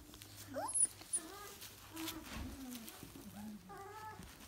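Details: Dalmatian puppies whimpering: thin, wavering whines with stacked overtones, one drawn out and gently falling midway, then a shorter high whine near the end, over a low steady hum.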